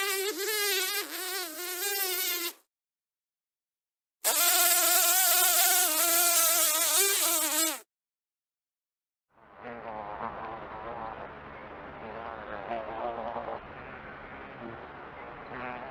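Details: House fly giving loud harmonic buzzing in two bursts separated by silence, followed by a quieter, rougher stretch of mixed noise.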